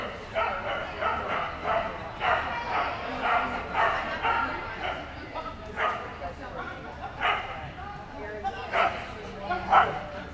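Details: American Staffordshire Terrier at an AKC agility trial held by the Staffordshire Terrier Club of America at Dog Gone Fun Agility in Spring, Texas, June 13–14, 2015; sharp harmonic barks repeat about once a second while a handler calls encouragement.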